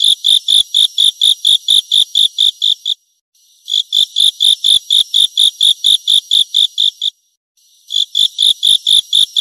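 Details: Grasshopper. High, bright chirps come from a grasshopper, about four every second, each a clear ringing note. The runs last a few seconds, then stop briefly before starting again.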